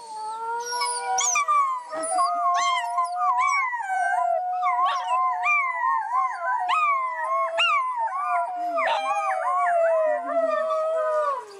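Several wolves howl together, long wavering tones overlapping with sharp rising yips and breaks.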